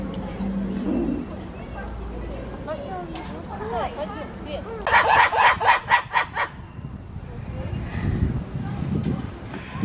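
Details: Black-and-white ruffed lemurs at a zoo in Novosibirsk, 14 September 2019, give a burst of harsh, rapidly pulsed barking shrieks, calling back and forth to each other.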